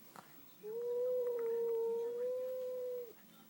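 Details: Domestic cat indoors, upset after seeing a new cat, holding one long, flat, nasal howl for about two and a half seconds that ends with a small drop, over quiet room background.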